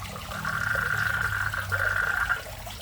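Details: Frogs that have moved into a garden fish pond in front of a house: a long, steady trilling call running about two seconds with a brief break, over trickling water and a low hum.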